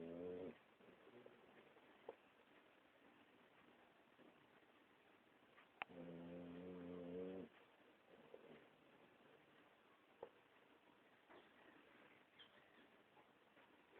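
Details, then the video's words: Snoring Boxer dog, with two low, rumbling harmonic snores about five seconds apart, each lasting one to two seconds, and soft breathing and faint clicks between them. "Dog boxer snoring"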